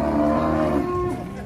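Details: Cow jumping down from a truck in Indonesia, 2024, calling agitatedly: a steady, sustained harmonic moo lasting over a second, slightly rising at the end, with faint music behind.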